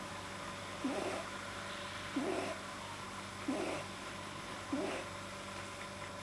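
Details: Relaxed pet buck rabbit whose soft palate is probably too long, per the vet, recorded 9 January 2010: four soft, low, nasal squeaks spaced roughly 1.3 seconds apart with a faint breathy tail, against a constant background hum.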